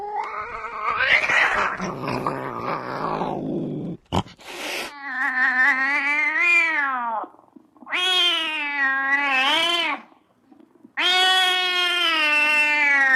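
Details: Angry cat with a rough, noisy hissing snarl at first, a sharp spit, then three loud, high, quavering yowls with brief pauses between them.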